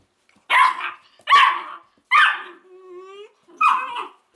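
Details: Weimaraner puppies from an Indigo and Magnum litter let out four sharp, high yelping barks in quick succession, with a thin, rising whine stretched between the third and fourth yelps.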